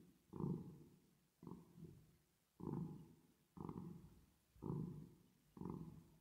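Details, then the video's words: Purr of a cat at rest and asleep, reverb added: six deep, rattling surges about a second apart, each beginning abruptly and dying away before the next breath. "10 Minutes Of Cat Purring Sound With Reverb Effect"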